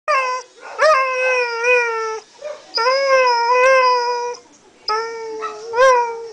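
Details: Pet dog taught to sing, giving three long drawn-out howls with wavering, slightly rising and falling pitch, separated by brief pauses, with short yelping onsets.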